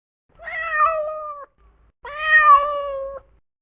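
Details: A domestic cat gives two drawn-out, clear meows, each about a second long, evenly pitched with a slight fall at the end, separated by a short pause in an otherwise quiet setting.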